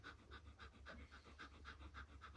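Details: Siberian husky with its new puppy sister, panting fast and evenly, about nine quick breaths in just over two seconds, with no other sounds.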